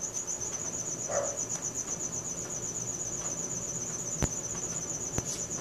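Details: Crickets chirping at night, Samsung Galaxy S4 recording: unbroken rapid high pulses forming a bright trill, with a brief lower squeak early on and two sharp clicks later against low background rumble.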